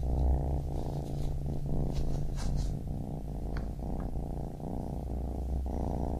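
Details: Purring of a baby kitten: low, dense rumbling drone held throughout, with brief breath-like dips and a few light clicks and rustles.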